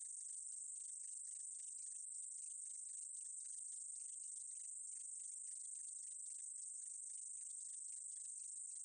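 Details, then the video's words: Meadow katydid sound from the National Institute of Biological Resources, 2020: an even, piercing high buzz running nonstop, accompanied by fast stuttering clicks, with no other sounds. "쌕쌔기, 여러번 듣기, 곤충소리"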